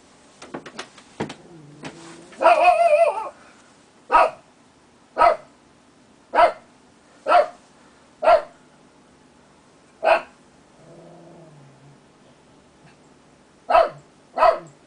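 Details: A purebred Lhasa Apso barking at night as a watchdog alert gives sharp, mid-pitched barks, roughly one per second.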